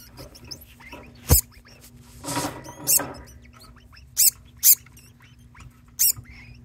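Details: Pet degu that keeps calling, joined by a second degu chiming in; dense thin high chirps and squeaks throughout, punctuated by several loud sharp clicks and a rustling burst, with a steady low hum behind.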